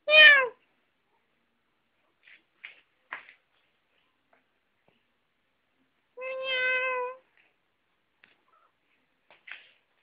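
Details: Indoor pet cat named Dongyi gives two meows: a short, bright call that falls in pitch, then, after about six seconds of near silence with small taps, a longer steady, level mew.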